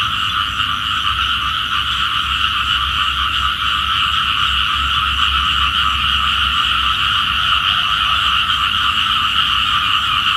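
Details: A dense morning chorus of small frogs by Phutthamonthon Sai 1 road, Thailand, described as calling for rain; their rapid croaks blend into a steady, buzzing drone.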